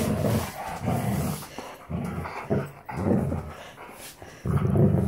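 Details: Standard Poodles, three breeding females and a male, playing together; rough, low rumbling growls come in several separate bursts with short quiet gaps between them.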